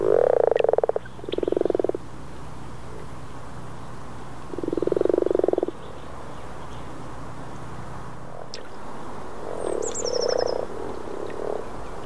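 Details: Low pulsed purring croaks of Common frogs, Rana temporaria, in Northern Sweden during April 2014, in short rattling bursts early on, then softer distant croaking, a faint high bird chirp near the end.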